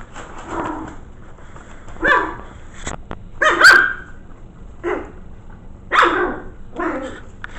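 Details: Five-week-old Maltese mix puppies (Fern, Turbo, Milo, Calvin and Poppy) in their corral, curious about a new camera: high, yappy barks and yips come in short bursts roughly every second, some sharper and louder, with soft rustling between.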